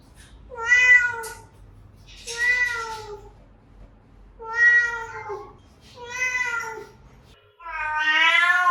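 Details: Repeated meows from a cat, intended to attract other cats: five drawn, slightly descending meows spaced about every one and a half seconds, the last one louder and more strained.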